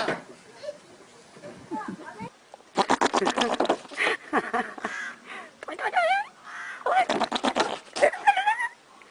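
Several goats give quavering, nasal bleats, each a short harmonic burst with a shaky, tremulous pitch. Human voices chatter and talk over parts of the calls.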